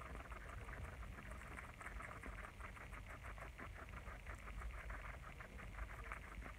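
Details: Pet guinea pigs munching lettuce, a steady run of soft, crisp crunching bites at a quick, slightly uneven pace over a low background hum.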